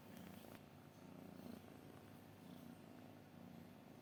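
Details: A cat purrs softly and steadily as a low, even rumble with faint pulsing. A brief rustle sounds near the start.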